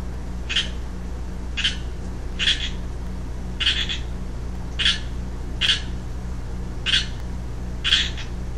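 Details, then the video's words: Young male Pacific chorus frog calling, recorded 15 March 2012; short raspy two-part croaks repeated about every second, eight calls over steady low background hum. "Pseudacris Regilla, Western Chorus Frog calls"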